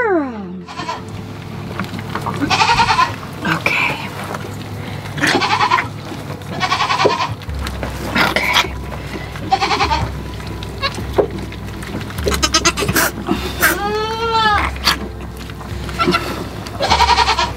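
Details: Nigerian Dwarf goat doe on a farm giving birth to twin girls, her second kidding, unassisted; repeated loud harmonic bleats and cries recur every few seconds over steady background music, with rustling between calls.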